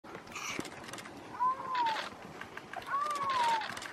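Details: Male Iberian lynx in Sierra Morena during the rutting season, calling to the local female; two drawn-out, meow-like wails that rise slightly then slide down, about a second and a half apart, over a noisy outdoor background.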